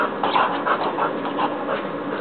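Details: Border Collie at play, panting rapidly and steadily in a continuous breathy rhythm with no barks.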